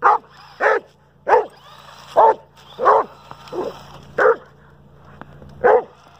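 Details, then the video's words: Pet Dobermann Pinscher angrily barking at a remote-control car during play: eight quick barks at an uneven pace, some doubled, over a steady low motor hum. "Doberman Pinscher Hates RC Car"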